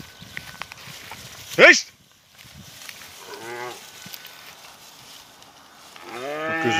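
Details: Angus cattle, hornless, being separated during a fight; a short low moo midway and a longer, rising harmonic moo at the end, after a sharp high squeal, with a man talking.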